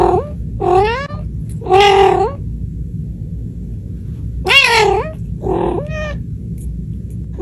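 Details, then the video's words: Kittens meowing at Reebonz Cattery, British Shorthair cats: several short meows, some rising at the end, others falling, spaced irregularly over a constant low background hum. "Funny Cats Kitten Meowing Sound Effect"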